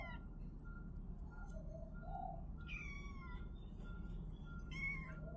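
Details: Kittens giving a few thin, high rising-and-falling mews, spaced apart, against a persistent low rumble and a steady faint whine.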